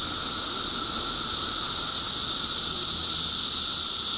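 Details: Cicadas in 2013 make a loud, unbroken high-pitched shrill drone, a dense chorus holding steady throughout with a fainter lower whine beneath.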